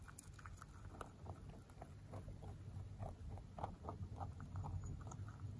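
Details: Male mini rabbit born November 3, 2020, eating pellets. Soft, irregular crisp crunches and clicks sound over a steady low rumble.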